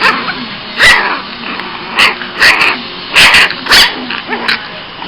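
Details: A cranky male Boston Terrier puppy gives short, sharp, high-pitched barks and yaps in quick bursts.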